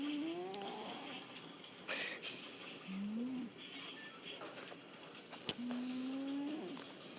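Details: A domestic cat snoring. The snores come as low, tonal, whistling breaths that glide upward over about a second each: one at the start, one near three seconds, and a longer one near six seconds. A faint room hiss sits behind them, with one sharp click.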